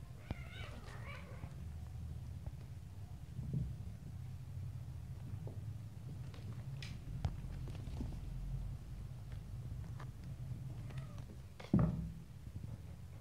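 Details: Little stray kittens playing, biting and pouncing on each other indoors; a brief harmonic mew rises near the start, followed by scattered scuffling clicks and taps over a steady low room hum.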